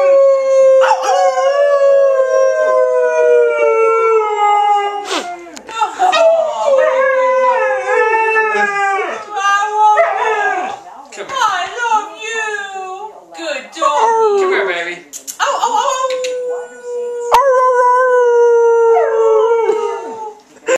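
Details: Pet Alaskan Malamute named Trixie howling together with her household, drawn-out falling howls broken by short wavering yips and voices, then a final long descending howl.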